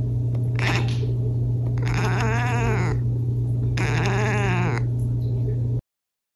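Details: Pet cat chattering and chirping indoors: two drawn-out, wavering, warbling calls separated by a short pause, preceded by a brief chirp, over a steady low electrical hum.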